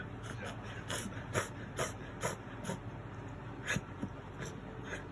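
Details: Miniature Dachshund indoors during a reverse-sneeze attack that lasted about three minutes, blamed on gum inflammation spreading to the nose. Harsh snorting bursts come in quick succession, roughly two each second, with faint voices in the background.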